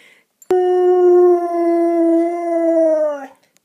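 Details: Husky giving a single sustained howl, rich in harmonics, held at nearly one steady pitch for almost three seconds before dipping and breaking off, with sharp clicks at start and end.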